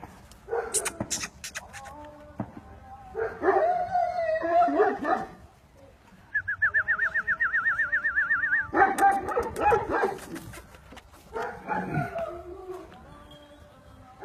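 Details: Aksaray Malaklısı dog at a farm in Aksaray, Turkey, making whining whimpers and high yips in uneven bursts, with a man coaxing it in Turkish and a warbling musical tone over part of the stretch.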